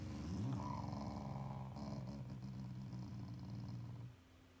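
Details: Affectionate Shiba Inu, not angry, growling at its owners: one continuous low, throaty growl lasting about four seconds, briefly rising at the start, then steady before fading out.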